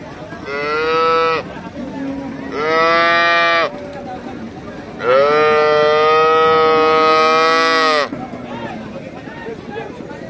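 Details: Young calf mooing in three calls: a short one, a longer second, then a drawn-out third lasting about three seconds, each steady, nasal and richly harmonic, with quiet background between calls.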